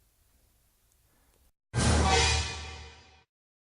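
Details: Near silence gives way to a short, loud broadband musical swell that fades after about a second and a half, with no animal sound present.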